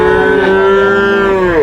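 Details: Water buffalo calves for rearing at the Cholakkal market in Payyanad, Manjeri, Kerala, India: one steady, drawn-out nasal bawl holding an even pitch for well over a second, bending downward at the very end.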